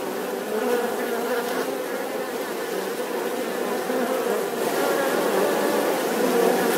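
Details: Steady bee buzz, a dense droning hum that swells slightly louder toward the end, with no other sounds.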